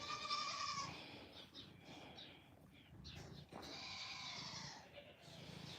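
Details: Farm goats bleat loudly and insistently in wavering cries, impatiently demanding to be fed in the morning; they are getting angry waiting for their feed.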